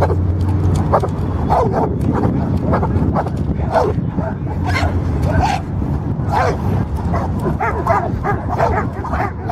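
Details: Labrador Retriever barking while guarding and protecting, a steady run of short, sharp barks about every half second to a second, over constant loud music throughout.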